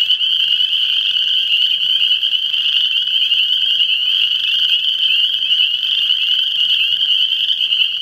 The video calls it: Frog calls